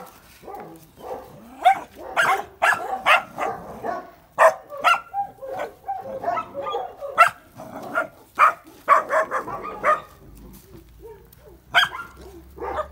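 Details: Nagazi, the Georgian Shepherd, as puppies being vaccinated and tended: an uneven stream of sharp yips and barks, some whining, clustered in quick runs with brief pauses between them.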